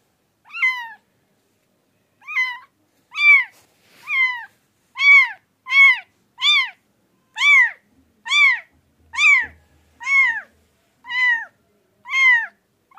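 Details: Pet cat giving a series of short, clear meows, each rising then falling, about one per second with brief pauses between, in a quiet setting.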